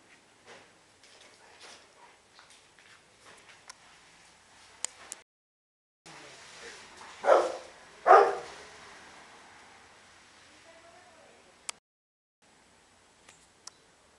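A Rottweiler gives two deep, gruff barks in quick succession while guarding.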